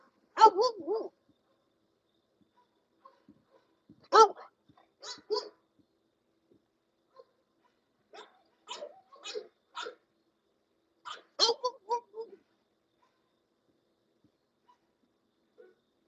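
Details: English Bulldog at a kennel letting out scattered single and double barks, harsh and fairly high, separated by several seconds of quiet in an indoor space.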